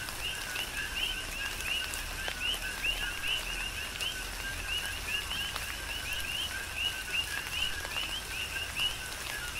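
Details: Big Island, Hawaii: tropical rain falling while many coqui frogs keep up a rhythmic chorus of two-note calls, a brief lower note rising to a bright higher chirp, layered and overlapping with scattered raindrop taps.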